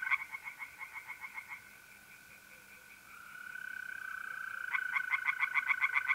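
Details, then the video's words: Tree frogs singing by a pond on an April night in North-East Italy: fast runs of harsh, pulsed croaks, roughly four per second, break off, then resume, over a steady tonal trill from mole crickets. "relaxing singing tree frogs in pond and trilling mole crickets by night"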